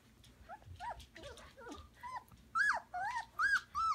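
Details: Samoyed puppies indoors in a pen on Prince Edward Island, Canada, in March, give high whines and yelps. The short rising-and-falling notes come in quick bursts and grow louder and clearer in the last half.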